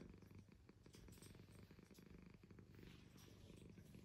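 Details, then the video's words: Purring from Roky the cat, a low, continuous buzzing rumble made of rapid fine pulses, steady in loudness throughout, with faint soft rustling above it. "Cute cat Purring"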